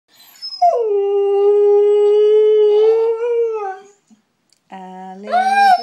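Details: Female pet Siberian Husky singing along with her owner: a long, steady, mid-pitched howl with a slight rise near the end, then a brief pause before a lower human voice and a rising howl overlap.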